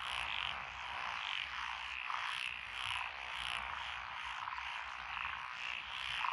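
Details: Frogs in lotus paddies along a country lane in Echizen, Fukui, Japan, 12 June 2021, calling in a thick chorus of grating, pulsed croaks that swell and ebb every second or so.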